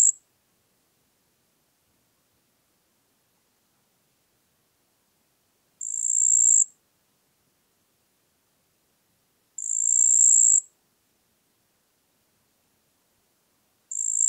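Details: Marsh cricket (Pteronemobius heydenii), Puntigam, Austria, 4 June 2022, producing sparse high buzzing trills: after a long silence of several seconds, two full one-second bursts roughly four seconds apart, plus fragments at the start and end.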